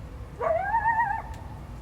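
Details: Wild coyote howling in response to a barking dog and an intrusion into its territory, recorded 2025 February 12: one clear drawn-out tonal howl that rises briefly, then holds a steady, slightly wavering pitch for under a second, over low background rumble.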